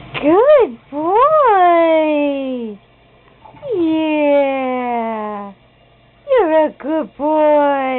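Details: Loud, repeated meows from Sammy, a cat that flushes the toilet indoors: long calls that rise and then slide downward for up to two seconds, ending in a quick run of short meows.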